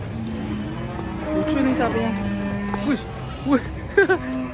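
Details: A cow's even, sustained low moo followed by short rising vocal bursts near the end, with music playing underneath.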